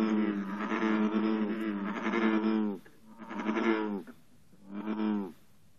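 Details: A bullfrog congregation calls at 54 degrees on an intense morning, with green frogs nearby. A long, loud stretch of overlapping low croaks gives way to shorter bursts separated by brief gaps.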